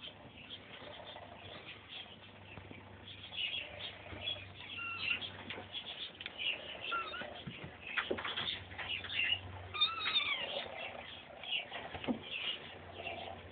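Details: Three five-week-old kittens wrestling; thin high squeaky mews come in scattered bursts over steady scuffling, rustling and bumping noise from the tussle.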